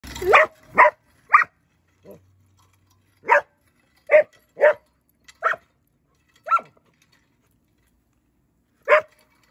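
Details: Border Collie reacting to someone raking: sharp barks in a loose series, some doubled, with pauses of one to two seconds between them, over otherwise quiet surroundings.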